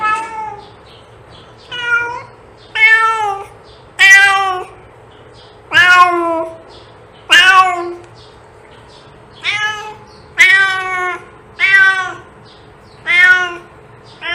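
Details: Cat sound meant to attract cats: a domestic cat gives eleven loud, rich meows roughly every one to one and a half seconds, some rising then falling, some short and sharp, with a low background hum.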